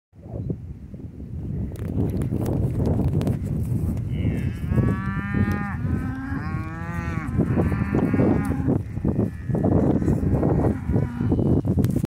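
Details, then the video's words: Excited, noisy cows behind a fence: several drawn-out, wavering moos overlap in the middle seconds, some rising and falling, against a heavy continuous low rumble and rustling throughout. "Excited (noisy) cows"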